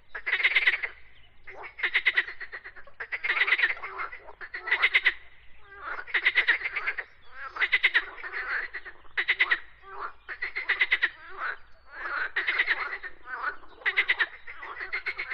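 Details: Frogs croak in a steady series of pulsed, rattling bursts, each under a second long and repeated roughly every one to one and a half seconds, with near-silent gaps between calls.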